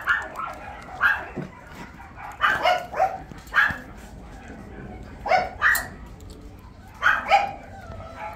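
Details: Miniature Pinscher, a sturdy well-built dog offered by a breeder; sharp, high barks in short bursts of two or three, spaced a second or two apart, with quiet indoor background between them.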